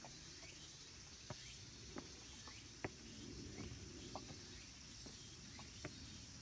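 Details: Cicadas singing in late summer at Kabusanji, a Tendai Buddhist temple in the mountains of Takatsuki City, Japan: a faint, steady high hiss-like drone throughout, broken by scattered sharp ticks and clicks, with soft low rumble beneath.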